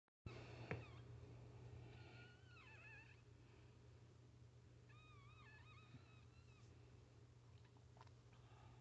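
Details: Newborn Chihuahua puppies just after their mother gives birth, filmed up close indoors: high, wavering squeaks with rising and falling pitch come in two bursts, one early and one mid-way, over a steady low hum.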